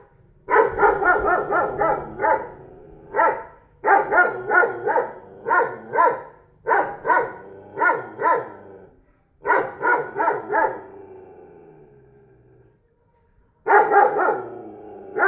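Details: A newly acquired 40 kg dog at a neighbour's house barks in bursts of rapid, deep, repeated woofs, several barks per second, with short pauses between volleys.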